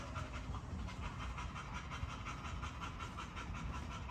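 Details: Great Dane panting in a quick, steady rhythm of soft breathy huffs, about four per second, low and hoarse throughout, with a dull low rumble underneath.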